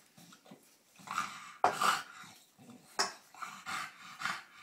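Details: British Bulldog in Australia playing rough with a cow; short huffing growls and snorts come in bursts about every second, with sharp broadband scuffles and breaths between.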